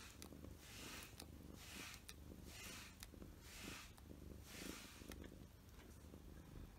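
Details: Continuous low purring from a short-haired house cat, Mugi or Choco, enjoying grooming with a glove during shedding season. Regular rasping glove strokes sweep over the purr about once a second.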